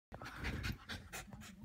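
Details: Cairn Terrier. A Cairn Terrier pants hard and fast, each breath a short raspy huff. The huffs come several times a second in an even, excited rhythm.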